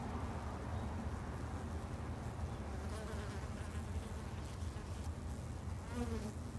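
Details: Japanese honey bees kept in a garden hive by a beginner beekeeper, giving a steady low droning hum that holds even and unbroken throughout, with faint rustling above it.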